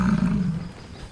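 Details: Large male buffalo sticking its tongue out and grunting to show dominance: one deep, droning, harmonic grunt lasting under a second, loud at first, then fading into quiet outdoor background.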